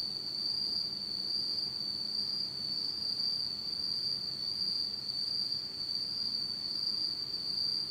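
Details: Unseen insects of a Japanese autumn night keep up a level, piercing trill without pause, a fainter higher ring above it and soft hiss beneath.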